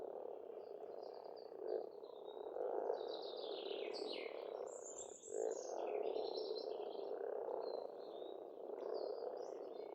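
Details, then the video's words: Spring pond chorus of many frogs on an Estonian farmstead, a loud continuous grating drone with periodic swells, overlaid by several birds singing high whistled and chattering phrases. "пение птиц и лягушек"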